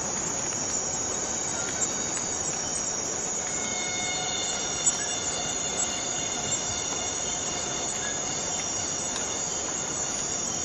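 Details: A cicada in the Borneo rainforest gives a shrill, unbroken metallic drone, steady and high-pitched, holding without pause throughout.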